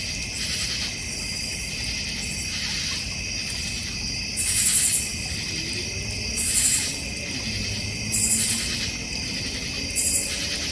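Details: Backyard crickets in the North Georgia Mountains beside a koi and goldfish pond, bird feeder and fire pit: a continuous high trilling chorus with louder pulsed bursts about every two seconds.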